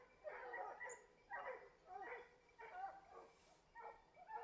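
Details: Hunting hounds in full cry chasing wild boar at Varen, France, on 21 November 2020, during a boar hunt. Several loud, harmonic baying bursts about every half second to second, a brief high whistle near the start.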